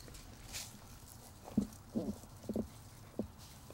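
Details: A Basset Hound meeting a Chihuahua puppy gives a few short, deep, gruff grunts and low huffs spaced about half a second apart.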